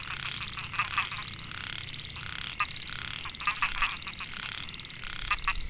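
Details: Rice-field narrow-mouthed frogs, Microhyla pulchra, at Mae Hia, Chiang Mai, Thailand in 2014, males calling to attract females: buzzy pulsed croaks in bursts, a few sharp clicks, and a persistent high whine.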